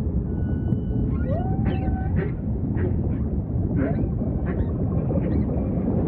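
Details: Humpback whale singing against a low, constant ocean wash: a rising swoop settles into a level held tone, then a series of short, evenly spaced pulsed grunts follows.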